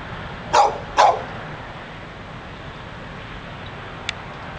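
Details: Restless dog in front of a Barnes and Noble in Pleasant Hill, California, giving two quick sharp barks in succession, then quiet with a faint distant click and steady ambient rumble.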